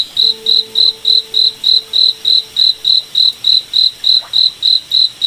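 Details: Cricket in a night forest, its bright high-pitched chirps pulsing evenly about 3.5 times a second, with a soft steady low tone audible in the first half.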